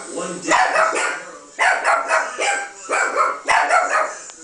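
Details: Chihuahua barking at a playback of a recording of her own barking, apparently taking it for another dog: quick, high, harsh yappy bursts in uneven clusters, roughly one per second, over faint replayed barking.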